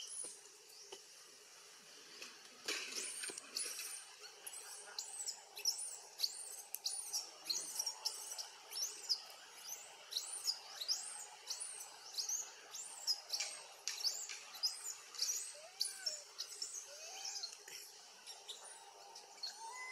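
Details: Baby monkey named Eden, living wild around Angkor Wat, crying loudly to call its mother back; a dense string of high, arching squeals, roughly two each second, sharp and insistent throughout with no pause.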